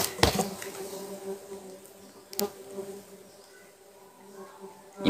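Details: Cultivated klanceng stingless bees, Trigona laeviceps and a hybrid Biroi x Laeviceps colony, hum steadily at a low even pitch as honey is cut from their boxes, with a few sharp handling clicks.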